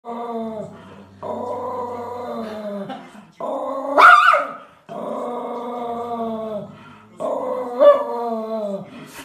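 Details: An angry dog growling in long, harmonic, rumbling bursts of a few seconds each, separated by short pauses, with brief sharper yelping peaks around the fourth and eighth seconds.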